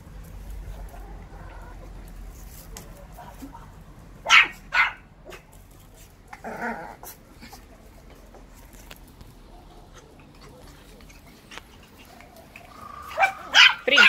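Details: Russian Toy puppies at play, giving short, sharp, high yaps in scattered bursts: a pair of quick yaps, a rougher bark a couple of seconds later, then a tight cluster of yelps at the end, over a low indoor hum.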